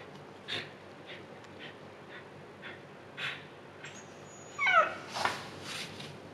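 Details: Female Siberian Husky in labor, giving birth for the second time and staying calm, indoors: soft rhythmic panting breaths, then a brief high, sliding whimper, while a woman speaks encouragement.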